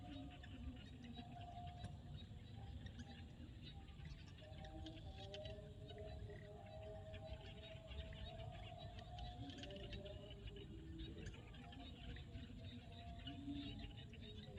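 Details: Frogs calling at sunset in a field in Cambodia: overlapping drawn-out tonal notes at low-mid pitch sound throughout, with a steady low rumble underneath and faint high clicks and ticks.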